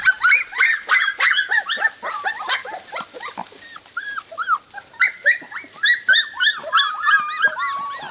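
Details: A litter of Golden Retriever puppies just four weeks old, offspring of Jelly and Gabe, produce a busy jumble of shrill yaps, squeals and short whining barks, many small voices overlapping at a fast, uneven pace.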